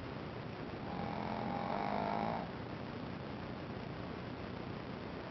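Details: Ponzu, a sleeping Shih Tzu puppy, gives one drawn-out snore of about a second and a half: a breathy, droning rasp with a faint tonal hum, then quiet breathing and room hiss.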